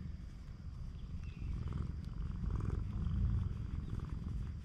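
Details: A stray cat cuddling up on a cat island, recorded by GoPro HERO8: a rapid, buzzing low purr swells noticeably louder after the first second and peaks just past three seconds.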